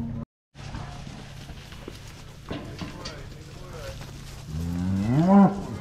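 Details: Cows being driven home on a farm: after quiet shuffling and faint background music, one loud, wavering moo bursts out near the end.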